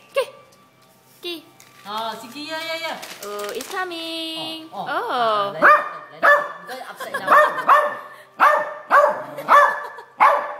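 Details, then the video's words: Silky Terrier meeting a crab for the first time: whiny, tonal yelps and rising whimpers in the first half, then a run of sharp barks about every half second, with a person's voice mixed in. "Silky Terrier barks at a crab"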